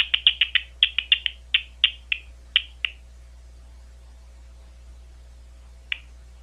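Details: Big brown bat recorded at Ohio State University: a quick run of about a dozen short, sharp downward-sweeping chirps over three seconds, slowing toward the end, then silence and a single late chirp, over a steady low hum.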